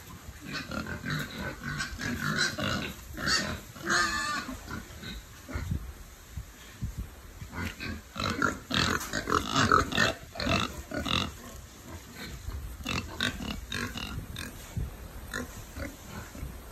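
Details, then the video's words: Several piglets raised on a family farm, inside their shelter, giving a continuous chorus of short low grunts and oinks, with occasional higher squeaky notes and rustling movement. "Piglets Oinking In Shelter"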